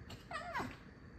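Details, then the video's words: Alisa, a pet fox indoors, scolds a little after running past and noticing the open kitchen door. A brief whining chatter of two quick harmonic notes that rise and then fall, heard over quiet room noise. "Алиса - лиса. Ругается чуток"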